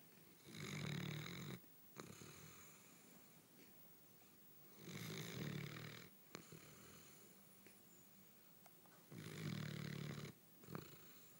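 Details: A nearly 4-year-old male Basset Hound, lying on the lounge after a busy day of playing, snores in deep, rumbling breaths about every four seconds.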